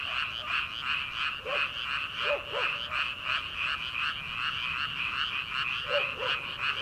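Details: Many frogs calling from rice paddies in early summer, before rice planting: a dense chorus of high, pulsing croaks, about three a second, with faint lower arched calls breaking in now and then.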